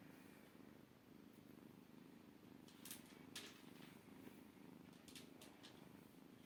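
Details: Maine Coon kitten purring, a loud rhythmic rumble pulsing about twice a second, with crackling rustles and handling noises above it.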